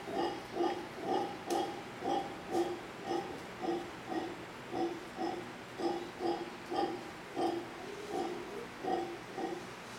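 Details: In Manzanillo, Costa Rica, a howler monkey family in tall trees facing a hotel repeats low, gravelly barking grunts roughly twice a second, slightly uneven, with a few faint clicks above.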